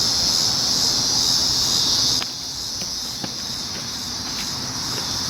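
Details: Cicadas, July 19, 2019: a dense, high, hissing buzz holds strong for about two seconds, then drops to a quieter continuous drone with a few faint clicks over low background noise.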